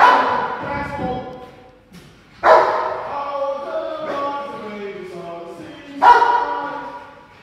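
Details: Ten-month-old Rottweiler during 360 protection foundation training, giving three deep, rough barks with long harmonic tails at roughly two-to-four-second gaps, each fading slowly into the next.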